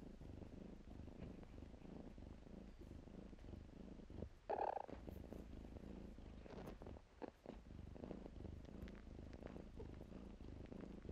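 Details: Kittens playing in blankets give a steady, low rumbling purr throughout, with one brief higher mew-like sound midway and soft rustling of fabric.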